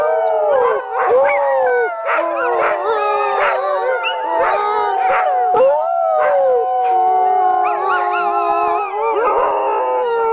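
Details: Sled dog. Several sled dogs howl at once, their drawn-out voices sliding up and down and overlapping in a dense chorus. Short yelps and barks break in between the sustained, quavering howls.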